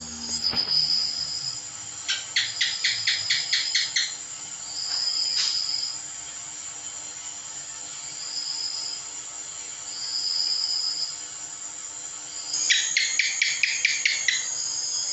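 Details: House gecko (cicak) calling: two bursts of rapid, sharp, clicking chirps, about eight in quick succession each, one early and one near the end, over steady high-pitched insect trilling.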